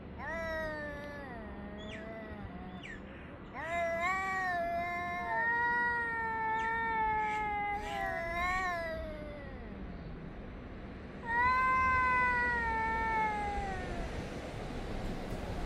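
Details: Cats yowling at each other, recorded on 3 Av 5785 between 6:01 and 6:04 summer time; long drawn-out wavering wails overlap and trade back and forth, some sliding downward, with a loud renewed outburst near the end.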